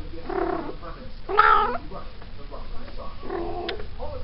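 A female Maine Coon cat in heat gives drawn-out, wavering yowls between quieter moaning calls.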